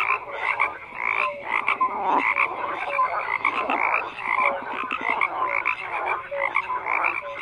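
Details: Dense chorus of croaking frogs, overlapping rattling calls and quick pulsed trains, punctuated by short whistled notes, the mass of sound steady throughout.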